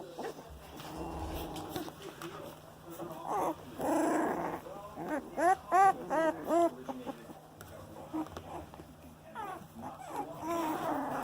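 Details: Boxer puppies, 18 days old, moving about: soft murmuring, then a rapid run of short high squeaky whimpers, then more muffled whines, over a constant low electrical hum.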